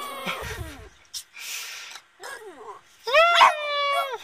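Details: A pet Boston Terrier howling, or 'singing': a series of whines and short falling yips with gaps between them, then a loud, sustained, harmonic-rich howl that holds steady and tails off near the end.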